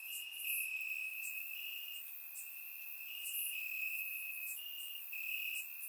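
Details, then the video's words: Chorus of crickets calling from grass at night in summer, Bulgaria: an unbroken high, thin trill with slight shifts in loudness as callers overlap, plus faint sharp chirps higher up. "Cricket Sounds - Crickets Chirping at Night"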